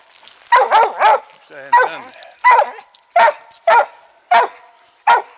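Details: Treeing Mountain View Cur named Max Pine Knot, about three years old, barking while treeing squirrels on a hunt in South Carolina: loud, sharp barks in an uneven series, roughly every half second to second, with a short whining bark mixed in.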